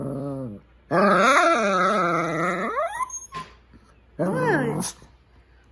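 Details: Male Shih Tzu at home vocalizing to his owner as if talking: a short low growl, then a long wavering moan that dips and rises in pitch, a pause, and a final rising-falling whine-growl, with the owner's voice briefly between.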